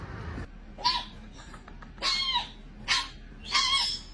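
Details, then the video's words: Dog dreaming in its sleep: four short, high-pitched squeaky yelps, each arching up then down, spaced about one second apart, over a quiet background. "dog dreaming falling down and making noise"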